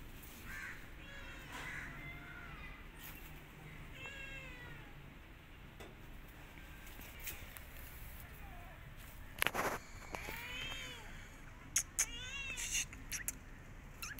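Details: Orphan kitten approaching a mother cat and her kittens; the mother licks it at first, then attacks after smelling it. Short, arching meows repeat, mixed with sharp clicks and knocks from the scuffle.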